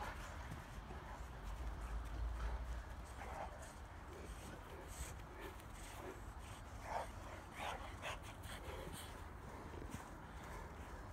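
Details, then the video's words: English Mastiffs and English Bulldogs, an 11-year-old Mastiff, two 6-month-old Bulldogs and a second Mastiff, playing in a back yard on a winter day in Minnesota; faint scattered short barks and whimpers over rustling, footfalls and steady outdoor background noise. "English Mastiffs and English Bulldogs at play"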